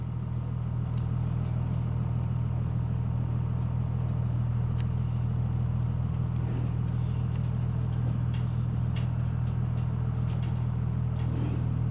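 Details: Steady, loud low engine rumble fills the whole stretch, with faint scattered clicks above it and no animal voice.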